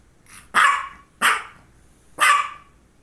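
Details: Female dog barking around focal seizures, one just before and one shortly after: three loud, sharp barks in quick succession, each with a slight drawn-out tail, spaced under a second apart.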